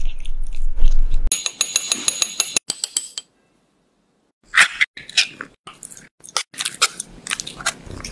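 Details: Domestic cat eating raw fish close to the microphone: bursts of wet, crunchy chewing and biting, broken by a brief silent pause before the crunching resumes in quick irregular clusters.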